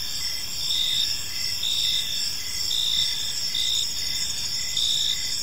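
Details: Several crickets trill together in a park at evening, their high ringing chirps swelling in short bursts about once a second above a gentle low background noise.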